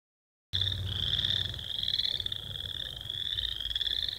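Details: Many American toads call at Lone Lake, Minnetonka, Minnesota, in early May 2016, giving long, steady, high musical trills that overlap into a continuous ringing chorus.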